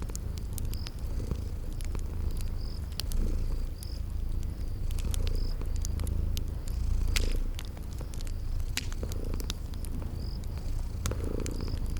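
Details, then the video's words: Purring from sleeping cute kitties by a crackling fireplace, spring garden setting; a continuous deep rumble with gentle swells, overlaid by snapping fire crackles and intermittent high-pitched cricket chirps. "Relax with Cute Sleeping Purring Kitties"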